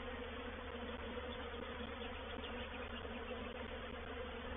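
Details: Loud, dense droning of a honey bee reproductive swarm moving into a swarm trap at Painted Peacock Manor, 04/07/21, a constant layered hum filling the whole stretch without pauses.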